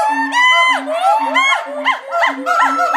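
Gibbon calls: loud, clear whoops that swoop upward in pitch, repeated in quick succession.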